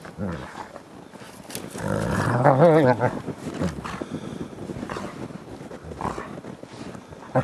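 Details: Gray wolves kept as ambassador animals at the International Wolf Center play in fresh snow on 24 December 2008. One lets out a short, quavering, harmonic whine that wobbles up and down, with scuffling and low grumbling around it.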